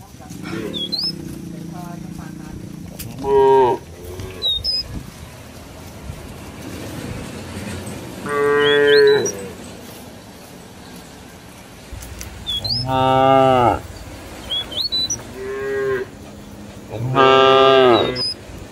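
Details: Cattle roaming village farmland, mooing to call companions back to the barn: five or six separate drawn-out moos spaced a few seconds apart, with intermittent high bird whistles and chirps.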